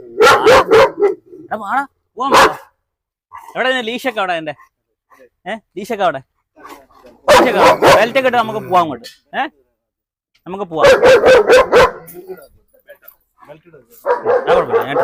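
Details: Dog challenge in Perumbavoor with a German Shepherd: three clusters of rough, rapid barking spaced several seconds apart, while human speech fills the gaps.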